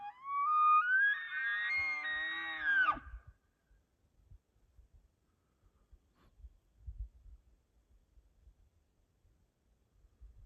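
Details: A bugling 6x6 bull elk is called in during bow season. It gives a high whistled note that rises and holds for about three seconds over low grunts, then only faint low thumps and rustling follow.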